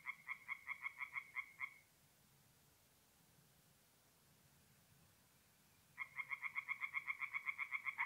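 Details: Night chorus of tree frogs at a forest pond in north-east Italy, mid-April: a rapid train of harsh, evenly spaced croaks, then about four seconds of near silence, then another fast pulsing burst starts up.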